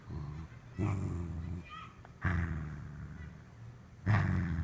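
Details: Corgi guarding with a wrinkled face, growling deep and rough; three surging growls roughly every two seconds, each starting loud and trailing off, with a faint, quieter rumble between them.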